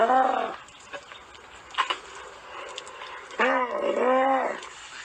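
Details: Camel making a short nasal groan, then quieter snuffling, then two wavering, harmonic moaning bellows close together.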